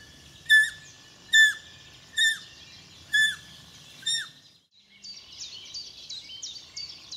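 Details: Newborn roe deer fawn, only a few hours old, lying in grass after its mother fled: five loud, descending squeals spaced just under a second apart, then fainter high twittering chirps.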